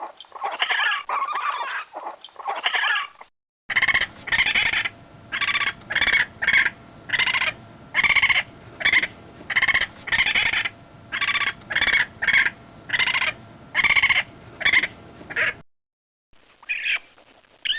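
Raccoon giving a run of short, harsh, squealing chitters, each burst under a second.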